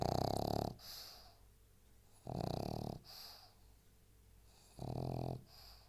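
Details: Three loud, throaty snores from Kako the pug, each about half a second to a second long and spaced roughly two seconds apart, with softer breaths in between.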